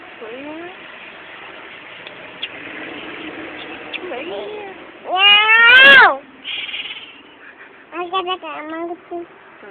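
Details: Cat being talked to by its owner, answering with a loud, drawn-out meow that rises then falls, rich in harmonics, followed by a few shorter mews; a human voice talks around the calls.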